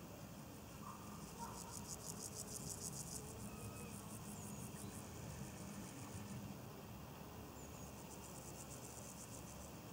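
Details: Two grasshoppers on a leaf in Bodenheim produce a scratchy pulsed burst lasting about two seconds, then silence, then another short pulsed phrase near the end; a low background drone runs throughout.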